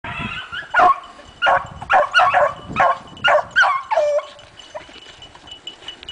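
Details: Dogs running, giving a series of short, harsh barks and yelps in irregular bursts about every half second, with quieter gaps and a faint steady tone in the background.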